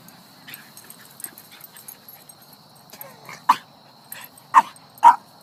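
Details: Eight-week-old Pit Bull puppy on its first day at the dog park at Waveny in New Canaan, Connecticut; after a quiet stretch with faint murmuring and a steady high hum, three short, sharp yipping barks burst out close together near the end.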